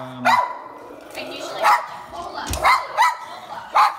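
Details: Lhasa Apso dog barking inside an elevator during a training session in Florida: short sharp barks in an uneven series, about five in four seconds, with a man's voice talking quietly between them.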